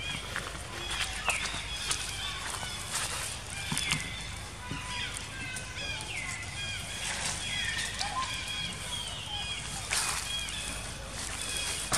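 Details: Female baby monkey Jinx cries after being attacked by another monkey, Spring: short, high, whistled squeals and chirps, some rising then falling, come in quick clusters through the clip over steady rustling and clattering noise.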